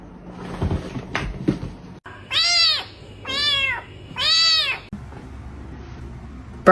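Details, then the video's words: Domestic cat in a funny cat compilation featuring a cat fight, giving three drawn-out arching meows, each about half a second to a second long with rich harmonics, separated by short pauses over a quiet background. "Cat Fight"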